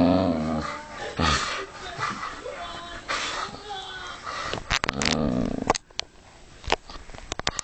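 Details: Vixie, a pet dog, growls while tugging and ragging on a jumper sleeve in play; rough, rumbling growls through the first seconds, then handling noise and sharp clicks and scrapes toward the end.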